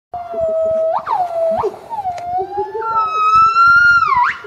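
A black-crested gibbon gives long, clear whistled notes broken by sharp upward sweeps.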